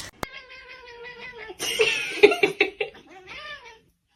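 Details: House cat giving a long, drawn-out whining meow that holds steady then dips, followed by harsher broken yowls and a final short rising meow; a sharp click near the start.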